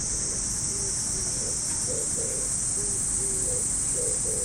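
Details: A high, even cicada drone fills a Japanese park on an early summer morning, beneath which soft low notes repeat a few times per second in the distance.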